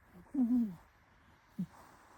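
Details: Sleeping cat snoring: a low, slightly wavering drawn-out rasp of about half a second, then after a pause a shorter grunt-like breath, in a quiet room.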